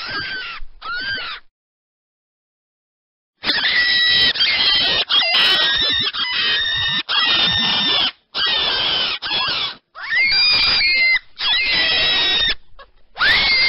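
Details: Rabbit giving shrill, squeaky squeals in a string of harsh bursts, each about a second long with wavering, bending tones; two short cries open, then a two-second silence, then near-continuous screaming with brief gaps.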